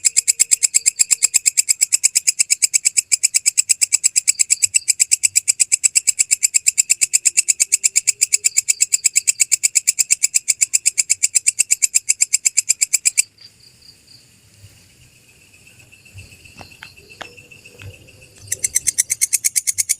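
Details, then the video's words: Belalang kecek grasshopper, a real recording used to tutor songbirds, paced with pauses. Thirteen seconds of fast, regular, high rasping pulses stop abruptly, leaving faint tones and soft rustling for about five seconds before the pulsing returns. "Masteran Suara Belalang Kecek asli"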